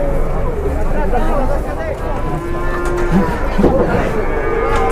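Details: Enraged cattle (sapi ngamuk) that nearly charges a man at a pen in Indonesia; deep, droning lowing with a sustained tone near the middle and another toward the end, over a constant low rumble and some voices.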